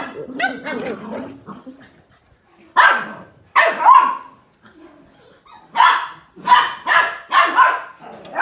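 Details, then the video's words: Australian Cattle Dog puppies, blue heelers, playing together: short yappy barks and growly yips in bursts, with quiet gaps between the outbursts. "BLUE HEELER PUPPIES PLAYING: Australian Cattle Dog Puppies"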